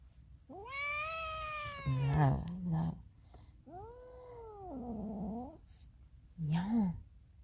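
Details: Indoor cat wanting to escape, giving three meows: two long arched, rising-then-falling cries and a short final one. A low human voice talks softly between them.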